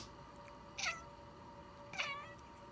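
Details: Domestic cats meowing at their owner whenever the owner sniffles or sneezes: two short, bright meows about a second apart, the second bending downward, over a quiet indoor background with a faint steady hum.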